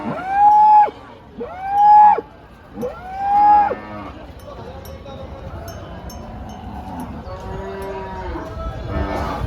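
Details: Cattle at the Dhule cow market on Tuesday, 30 April: three loud, drawn-out moos with rich harmonics in the first four seconds, then fainter, lower lowing over steady crowd chatter.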